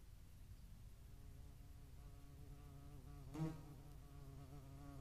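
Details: Low, even wing drone of a European hornet hovering at a feeding site in Dohr, Eifel, on 11 July 2022, median wasps nearby; the hum grows clearer midway with a brief louder pulse.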